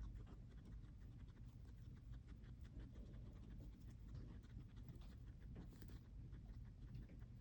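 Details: Several hungry guinea pigs munching food, heard as a quiet, continuous patter of fast chewing clicks over a steady low background rumble.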